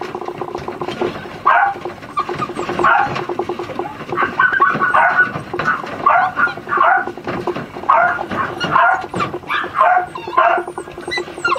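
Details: Young Miniature Schnauzer sister puppies yip and bark in rapid clusters, high and sharp, some notes stretching into whiny whimpers, with a steady low hum underneath throughout.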